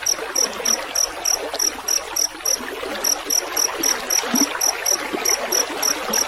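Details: Field cricket (rice-field cricket) with trickling water, a track for training songbirds: high, pure chirps repeated about four times a second, steady and even, over a constant rushing and gurgling of water.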